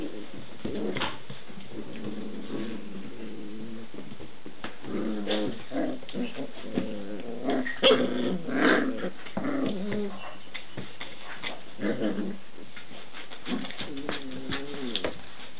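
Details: Six-week-old Standard Schnauzer puppies playing in pairs indoors, vocal and loud: low rumbling growls and play snarls in bursts, mixed with thumps and scuffling.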